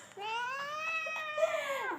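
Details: Single long, plaintive meow from a domestic cat, starting low, gliding gradually upward and holding, then sliding down at the close; clear tonal voice with many overtones.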